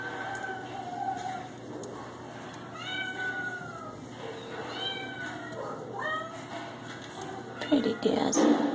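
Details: Domestic Shorthair cat at an adoption shelter, mewing in several short rising-falling calls around the middle, with people talking nearby and a clatter of handling noise near the end.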